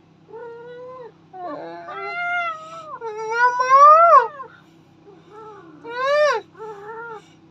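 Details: Pet cat vocalizing during a back-and-forth with its owner; long, drawn-out whining meows that bend up and down in pitch, followed by a sharp rising cry and a softer closing meow, over a faint hum.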